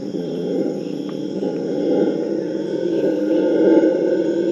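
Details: Group of Purus red howler monkeys in full chorus: dense, growling roars blending into one unbroken rumble that swells louder toward the end.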